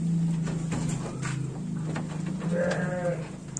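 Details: Garut sheep, ewes feeding on extra fodder: a short, nasal bleat near the end follows a stretch of low mechanical hum, rustling and munching, with occasional human voice in the background.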